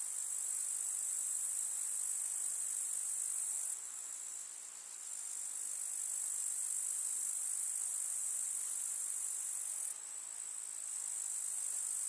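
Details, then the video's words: Grasshoppers chirring in a summer countryside meadow; the dense high-pitched sizzle drops in loudness twice for a few seconds, then returns to its full steady intensity. "КУЗНЕЧИКИ. Слушать звуки летнего луга"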